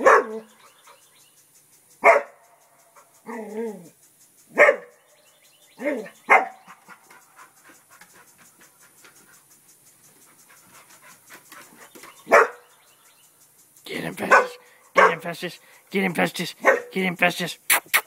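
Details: ['A pet English Springer Spaniel named Festus, protecting the house from a turtle, gives scattered single barks with long pauses and a brief whiny sound. Near the end, denser sounds mixed with human voices urging him on.']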